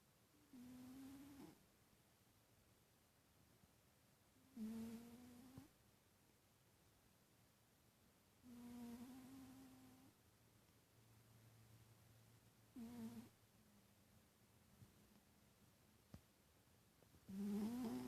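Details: Titus, a pet cat, snoring while asleep indoors: breathy nasal snores with a low humming tone, each lasting about a second and recurring every three to four seconds, with quiet pauses between breaths.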